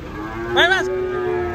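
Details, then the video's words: Agitated young bull bellowing as it is unloaded from a truck in Indonesia: one short harmonic-rich moo with a rising then falling pitch, under half a second, over a steady low hum and background noise. "SAPI NGAMUK GRANDONG JR TURUN DARI TRUK"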